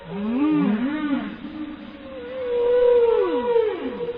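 A whale sings long, low moaning tones that rise and fall in slow, sweeping glides.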